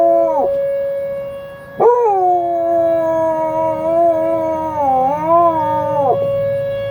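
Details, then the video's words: Buddy the dog howls along with tornado sirens tested at noon on the first Wednesday of the month: long wavering howls that dip and rise, held over a steady droning siren tone. "Buddy howls with the tornado sirens!!"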